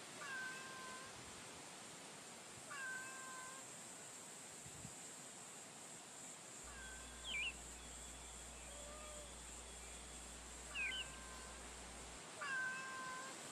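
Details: Female stray cat met on a street during a daytime stroll, meowing five times at irregular intervals: short harmonic mews, some with a sharp rising squeak, over a steady high background hiss.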